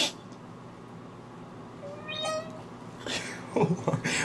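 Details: A domestic cat in a bathtub, which it dislikes, gives a single drawn-out, harmonic meow that rises then falls, followed by splashing.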